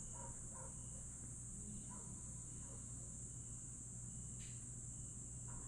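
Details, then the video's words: Grass insects on a summer night at Aewol, Jeju, recorded 22 July 2022 at dusk: a steady, shrill, unbroken high chorus runs throughout, with scattered faint short chirps and a constant low hum underneath. "풀벌레 소리"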